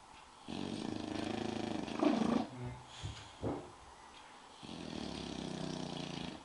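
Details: Spike, a sleeping English bulldog, snores with two long, rough, buzzy drones, separated by a couple of short snorting puffs in the quiet room.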